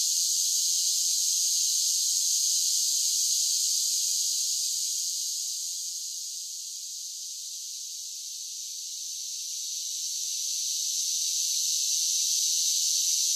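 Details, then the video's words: Cicadas singing in summer: a dense, steady high hiss-like buzz that softens in the middle of the stretch and swells back to full strength, with no other sounds. "10 Hours of Cicada Sounds for Relaxation with Soothing Summer Nature Sounds"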